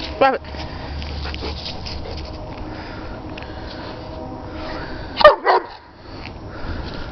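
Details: Sheba, a German Shepherd playing with her ball, gives two short, sharp barks about five seconds apart, the first right at the start and the second louder. Quiet indoor background noise runs steadily between them.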